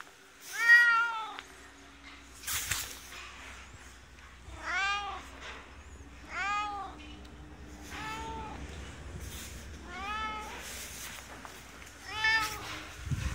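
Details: Inskitty, the resident cat of a ski shop in Hirafu Village, Hokkaido, Japan, gives a run of warm, drawn-out meows, about six in thirteen seconds, each rising then falling, with a low hum and a brief rustle behind.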